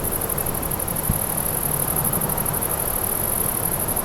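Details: Grasshoppers calling outdoors: a steady, very high, rapidly pulsing buzz runs without pause over a dense wash of low rumbling noise.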